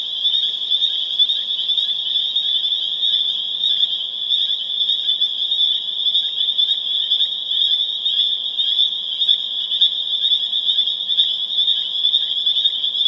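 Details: Pseudacris crucifer calling in a spring chorus at Harvard, Massachusetts, on April 27, 2011; countless piercing high peeps merge into a constant shimmering drone, with faint individual notes pulsing roughly twice a second beneath it.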